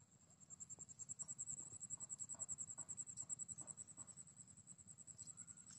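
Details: Grasshopper calling: a rapid, high-pitched pulsed buzz repeating steadily, about three pulses per second, over a low background rumble.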